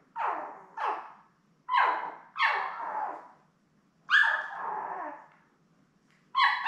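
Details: Newborn Labrador Retriever puppies with their mother Belle, born May 24, 2021, seven in the litter, indoors on a live puppy cam: loud, high, harmonic whines and squeals in uneven bursts, some falling in pitch, separated by short silences.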